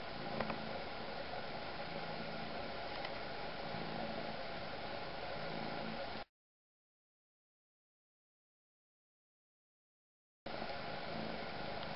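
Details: Constant hiss of static runs throughout, broken by a few seconds of complete silence in the middle; no animal voice is present.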